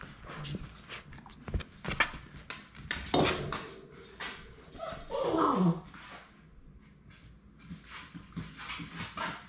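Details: One of the last three Labrador Retriever puppies at High Desert Labradors, on the day they leave for new homes, gives a wavering, falling whimper midway through, amid scratching, knocking and faint room noise indoors.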